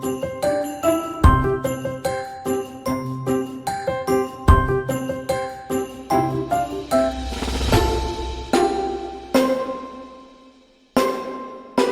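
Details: Bright chiming bell music in a repeating festive pattern that fades out before a final chime, with no animal sound.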